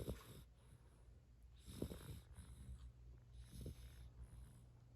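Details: Sleeping yellow Labrador Retriever puppy, three months old, snoring in a steady rhythm. A deep, rasping inhale comes roughly every two seconds, with softer breathy exhales between, in a quiet indoor setting.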